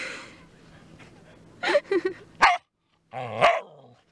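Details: Border Collie on a beach outing on 4 June. Several short, sharp barks sound in quick succession, then a pause, then one more harsh, rasping bark. Low background noise lies underneath.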